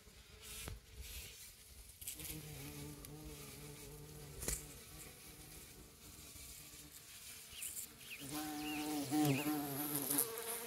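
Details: Among wild roses, a bumble bee pushes a pollen-laden honey bee off a flower: bees buzzing in flight, a low droning hum rising and falling in pitch as they move, partly in slow motion.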